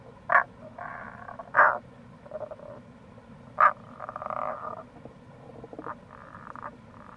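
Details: In April near a gorge along Itoshima's Kamo River in Fukuoka, Japan, Rana tagoi gives three strong, clipped croaks between longer buzzy pulsed phrases, several frogs overlapping over a continuous low rumble of background noise.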